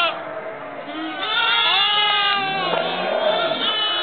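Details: Lambs in November 2009: several wavering, nasal bleats overlap and rise and fall. The bleats grow louder after the first second. Speech-like sounds may be mixed in.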